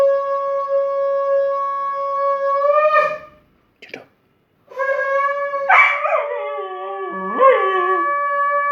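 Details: Pet Cocker Spaniel howling in response to a blown conch: a long steady conch tone sounds first and again near the end, with the dog's wavering, sliding howl rising and falling over it in the later seconds.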